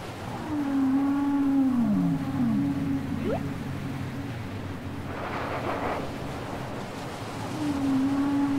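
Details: Whale song from a cassette recording: a long level moan that bends downward, then a second moan slides down and levels off. A brief rising sweep follows, faint higher harmonic wails, and a hissy ocean-like wash in the background.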